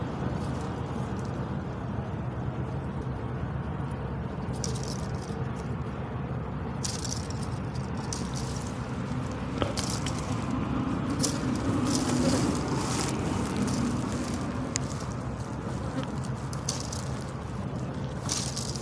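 A buffalo flaps its ears, making dry, irregular rattling slaps over a steady low rumble.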